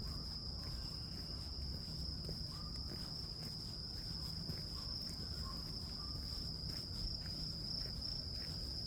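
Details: Grass insects calling in a steady, unbroken high-pitched ringing drone that holds one even tone throughout, over a heavy low rumble of background noise with faint scattered ticks.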